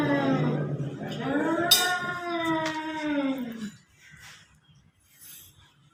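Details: Cats fighting outside a house: a descending, moaning yowl lasting nearly four seconds with a faint click, then near silence with soft background noise.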